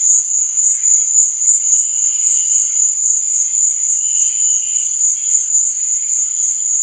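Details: Crickets at night giving a continuous piercing trill, its loudness throbbing rhythmically a few times each second, over a murmur of quieter insect chirps.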